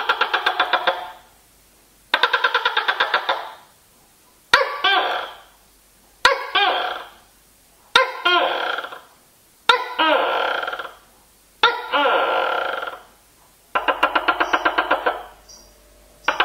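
A tokay gecko gives loud, barking two-part calls, repeated about every two seconds.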